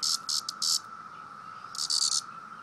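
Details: Poked male cicada giving a disturbance call: a quick run of four harsh buzzing pulses, a pause, then a longer buzzy burst, with a steady low hum behind.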